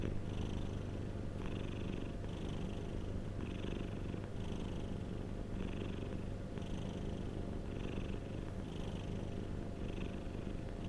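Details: A domestic cat purrs steadily, recorded as a soothing sleep sound; the low, throbbing drone never breaks, while airy rasps of each breath rise and fade at regular intervals of about a second.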